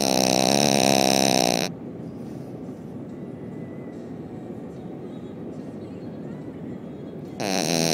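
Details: Canon, a pet dog and very loud snorer, asleep. A loud, buzzy, rasping snore with rich harmonics fills the first second and a half. A quieter stretch follows, then the next harsh snore begins near the end.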